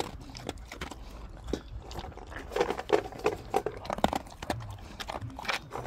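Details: Dog named Gorlock The Destroyer, eating and playing, heard close up: irregular wet chewing clicks and smacks, with short nasal grunts clustered in the middle, about three sounds a second, and no other animals or voices.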